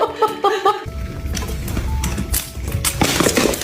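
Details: A short musical phrase cuts into clinking, breaking glass and crashing noises, with no animal voice present.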